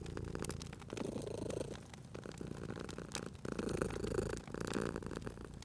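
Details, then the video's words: Cat purring beside a crackling fireplace, a low rumbling purr rising and falling with each breath, accompanied throughout by sharp crackles and pops of the fire. "Cute Purring Cat at a Crackling Fireplace"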